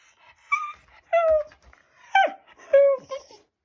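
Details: Talkative Shiba Inu addressing its owner with four brief whimpering yowls about every half second to second, each bending downward, one ending in a sharp falling squeak, with soft breathy sounds between.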